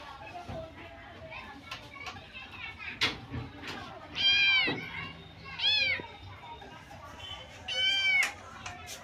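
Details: Three kittens playing together in a playpen; three high, arched, harmonic mews arrive in the second half, about two seconds apart, over background chatter and speech.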